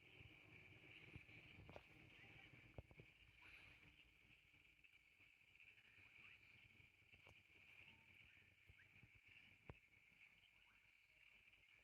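Frogs call in a steady, high, ringing trill that holds without a break, with low rumbling noise beneath.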